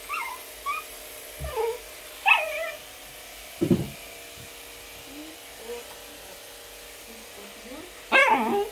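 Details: Baby Pembroke Welsh Corgi protesting being brushed indoors: high, whiny yelps sliding downward in pitch, a short low bark midway, then a louder squealing burst at the end over a faint steady background hum.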